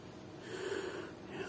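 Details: Lucy, a pet Yorkshire Terrier indoors with her bone, 'talks' to ask her owner to pick it up: a soft, low, drawn-out whining grumble with a brief second rise near the end, quiet against faint room hiss.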